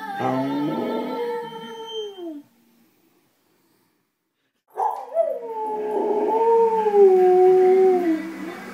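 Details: Pet dog indoors at home howling along to the Two and a Half Men TV theme: a drawn-out wavering howl falling at its end, a silent pause of about two seconds, then a longer, quavering howl that rises and dips.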